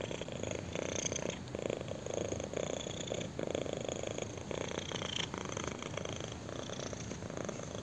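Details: Young cat purring with pleasure during a chin scratch, a close, steady rumbling purr with pulsing texture and soft intermittent scratching sounds.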